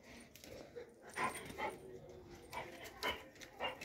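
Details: A Doberman produces short yelping whimpers in quick bursts, roughly five sharp cries spaced about half a second to a second apart, with quiet voices in the background.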